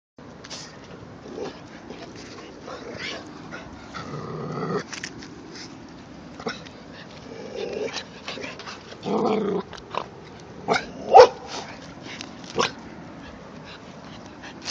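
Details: A three-month-old white Jindo puppy, in a standoff with a neighbour's adult dog, gives short, throaty growls and brief rough bursts between scattered clicks and scuffs.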